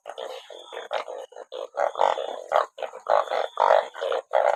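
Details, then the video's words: Many banded bullfrogs gathered after rainfall, enough to fill a sack, croak in a crowded chorus; short, loud, bleating bursts follow one another with little pause, uneven in rhythm and strength. "อึ่งอ่าง เยอะจัง😮ฝนตกจับอึ่งได้เป็นกระสอบ"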